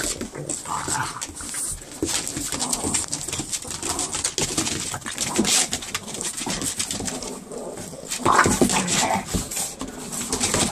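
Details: Pair of Boston Terriers wrestling in play on patio furniture, continuous snorting, gruff growling and breathy panting over scrabbling noise, with a louder growl near the end.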